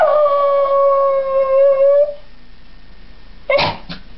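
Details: Cairn Terrier howling: one steady, drawn-out tone lasting about two seconds with faint overtones and a slight waver, then a quiet gap, then two short, sharp yips near the end.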